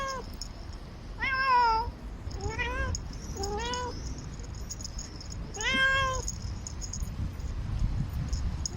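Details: Quiet-natured pet cat roaming a city wall and calling for love, giving four meows in under nine seconds, each rising briefly then sliding down, with faint low traffic-like hum beneath.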